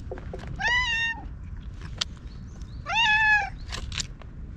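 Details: Ginger tabby stray cat talking in meows as it rubs up against someone and is groomed with a cat brush; two long, level, harmonic meows about two seconds apart over low background rumble.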